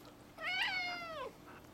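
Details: Four-year-old male house cat indoors, excited about a lizard and not allowed outside, gives a single long meow that rises briefly then slides downward at its close.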